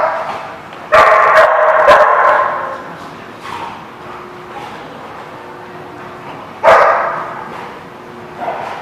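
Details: Barking dogs recorded 28 November 2016: a long, rough burst of several barks near the start, then a quieter stretch, then another sharp bark and a softer one at the end.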